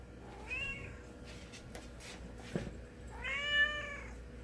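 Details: Chocolate Cat, a domestic cat, gives two meows indoors, a short rising one followed a few seconds later by a longer, louder, bending meow, with light tapping between them and a constant background hum.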